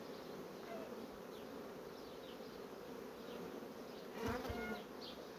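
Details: Honey bees from colonies rapidly drawing out comb foundation: a steady, dense hum of many bees, with one louder buzzing bee passing close near the end over a constant background drone.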